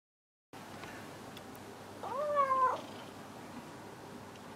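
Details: A house cat asking for affection in the evening indoors, giving one clear drawn-out meow about half a second long, level then slightly falling, over quiet room hiss; a woman speaks just afterward.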